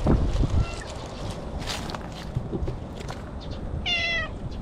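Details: Stray cat in the bushes, talking to a person and enjoying being petted, recorded on a GoPro: one short, clear meow falling in pitch near the end, a faint earlier mew, and rustling and handling noise throughout.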